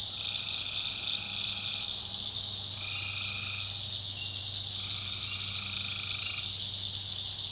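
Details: Tree frogs calling at night in a swamp in the backwoods of North Carolina: a dense, steady high chorus drone, overlaid by three longer tonal calls of one to two seconds each, over a constant low hum.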